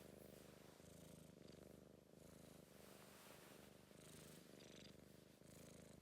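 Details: Soppy British Blue shorthair cat purring contentedly, a low buzzing rumble pulsing in time with slow breaths, slightly louder on each inhale.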